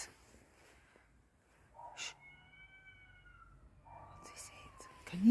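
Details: Cats screeching outside a house at night while a puppy is walked out: two long, tonal, slightly falling wails, the first steady and the second sinking gradually, separated by a short pause, with a man speaking softly to the puppy and rustling at the end.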